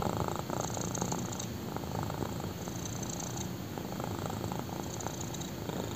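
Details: Black kitten purring while lying on a person's thigh indoors; steady low rumbling purr continuing throughout, with faint breathy pulses and soft higher rustle at times.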